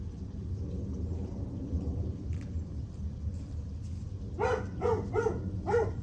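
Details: Dog barking on July 9 at 8:38 am: after a few seconds of low steady rumble, four short, sharp barks come in quick succession, roughly half a second apart, over continuing background hum.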